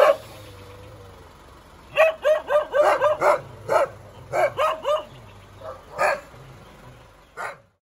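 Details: Dog giving a steady string of short, sharp barks, some doubled, at an uneven pace after a brief whine-like opening, over a low background rumble.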